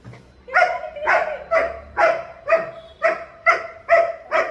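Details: German Shepherd, a family dog, gives a steady run of about eight sharp, mid-pitched barks, roughly two per second, with a low hum underneath at the start.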